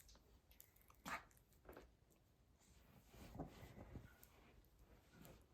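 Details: Miniature dachshund puppy, female, play-fighting with her mother; faint short yips and growly bursts near one second and again near three and a half seconds, separated by soft scuffling noises.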